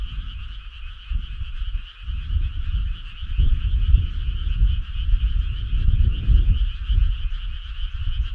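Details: Frog choir on a midsummer night, many callers pulsing continuously in a buzzing mid and high band, with a loud, uneven low rumble surging beneath them.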